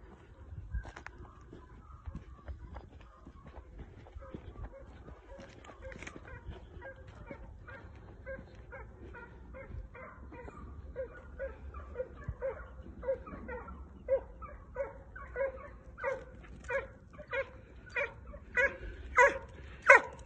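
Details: A pair of Italian hounds (Segugio Italiano) trailing during hare training. Faint, distant barks grow steadily louder and more regular, about one and a half per second, rising to strong ringing bays by the end.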